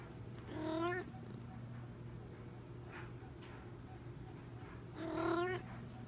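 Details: Two drawn-out meows from Sean Coonery, the big Maine Coon cat, each bending upward then down, about four seconds apart, with a constant low hum and faint room noise between them.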